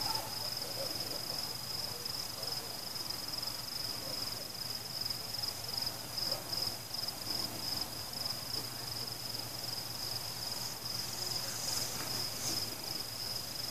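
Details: Crickets chirring during a fireworks celebration, a steady high-pitched continuous trill holding on without a break throughout, with no other clear sounds over it.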